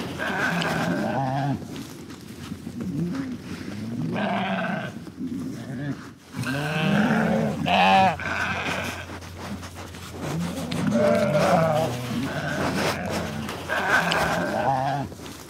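Several sheep bleat in overlapping, quavering bursts, some deep and others higher and more nasal.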